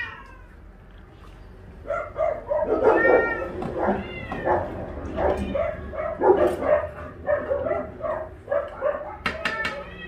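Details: Cats at an Ulsan shelter, the Naraeul Center, during a weekend volunteer visit after being merged into one group and fed fish: overlapping meows and chatter from several cats, with speech mixed in and sharp clatters near the end.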